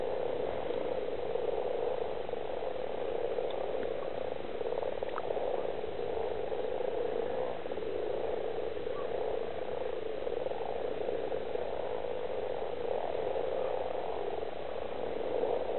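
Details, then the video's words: Many common frogs (Rana temporaria) croak together at Stubbergaard Sø lake in Denmark, forming an unbroken, low, purring drone that holds steady throughout, with occasional soft clicks above it. "Butsnudede frøer (Rana temporaria) kvækker."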